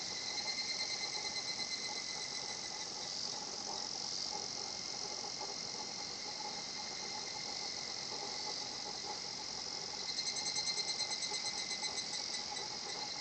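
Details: Higurashi cicada in a quiet natural setting at Shinhotchian: a steady high insect chorus throughout, with rapid pulsed kana-kana bursts at the start and again near the end.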